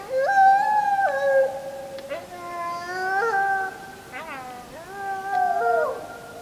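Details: Wolves howling on the full moon night of 31 July 2015, JVC Everio GZ EX215 HD recording; a loud chorus of stacked tonal howls with abrupt pitch steps, short wavering breaks and overlapping voices in three strong swells.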